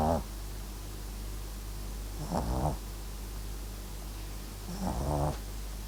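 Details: Sleeping Papillon x Japanese Chin mix dog snoring, with short rasping, throaty snores about every two and a half seconds over a steady low hum.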